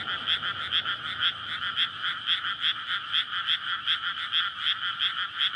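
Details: Frogs calling to court and breed in a newly flooded rice field in May at night, residential Japan; loud, quick, pulsing croaks about three per second forming an unbroken chorus, background quiet apart from a light low hum.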